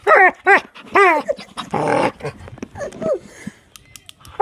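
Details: Dog excited by click noises: three quick, high, bending yips about half a second apart, then a rough, rumbling growl-like bark and a few softer whimpers.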